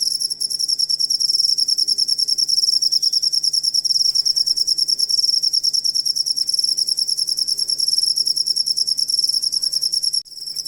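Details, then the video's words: High, piercing cricket trill used to train songbirds, evenly pulsed at a fast rate and steady in loudness, with a short drop near the end. "Asli Ampuh Suara Jangkrik Buat Masteran Burung Kicau"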